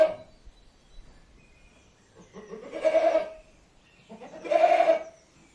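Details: Goat bleating at close range: two drawn-out, nasal 'maa' bleats about two seconds apart, each lasting under a second with a steady, buzzy tone, over a quiet background.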